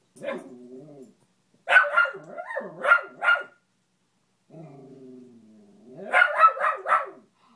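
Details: Pet dog, possibly a beagle, barking at a fallen Spider-Man lamp while play bowing; a low drawn-out whine-like howl, then bursts of rapid barks, a second long low moan and another quick run of barks.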